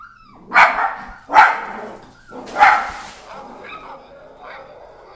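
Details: Pet dachshunds barking at phone apps: three loud, harsh barks in the first three seconds, then quieter whines and sounds fading out.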